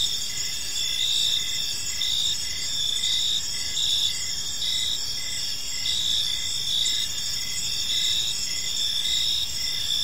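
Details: Crickets chirping in a peaceful park as evening unfolds: a dense chorus of high, steady trilling bands with short chirps pulsing at regular intervals, overlapping callers forming a continuous bed of sound, faint low background rumble.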